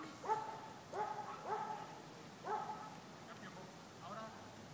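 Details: Border Collie at play with a disc, giving four short, mid-pitched harmonic barks in quick succession, then a fainter trailing call against low hiss.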